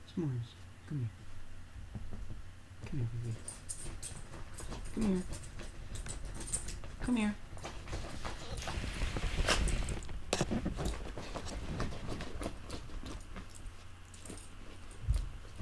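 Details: Puppies Jessie and S'mores at play indoors: short, downward-sliding yips and whines, several clustered near the start and more every couple of seconds. Mixed with a person talking, coaxing and scolding, plus rustling of bedding and handling noise.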